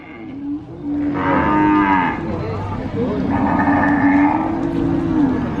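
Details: Cow at the Sokaraja cattle market in Purwokerto, Banyumas, lowing in two drawn-out, fairly flat calls of moderate loudness amid a steady market hubbub with overlapping voices.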